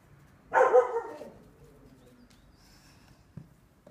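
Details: Single deep, resonant bark from a Neapolitan Mastiff working with wooden dumbbells, fading into near silence with a small knock at the end.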